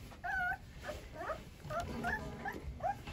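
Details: Several of eleven Rottweiler puppies, hungry during group deworming, whimper for food: short high whining yelps with rising-falling contours, repeated about every half second, with faint background noise.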